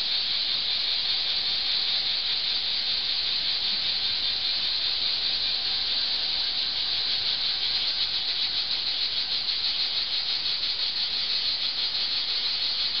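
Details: Cicadas drone in a continuous, high, buzzing hiss with a faint rapid pulsing texture, in summer under an old olive tree in Archangelos, Rhodes, Greece.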